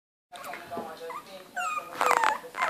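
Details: Litter of four Bichon Yorkie puppies, Yorkshire Terrier and Bichon Frise cross, 25 days old, play fighting with each other. Thin high squeaks and whimpers in short rising and falling slides, overlapping, growing louder with a burst of squeals near the end.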